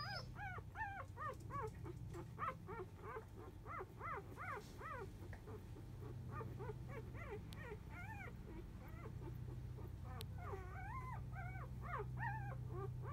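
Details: Four-day-old field-type Labrador Retriever puppies, a litter born to biscuit, the 2017 JFA grand champion, napping; rapid, high, arched squeaky whimpers and mews tumble over one another continuously above a steady low hum.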